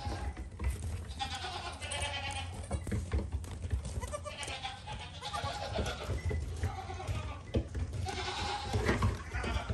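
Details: Young goat kid calling with repeated tremulous bleats of varying length over a constant deep rumble, the cries rising and falling in a shaky, bleating pattern.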